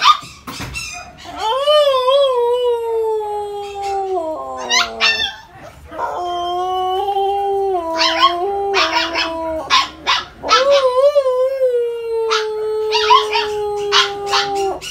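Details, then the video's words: Siberian husky, a household pet, howling and singing in long wavering tones that slide down and rise again, several drawn-out howls with brief yips between, a short break near four seconds. "Husky Howling (mini concert ng husky namin) singer husky"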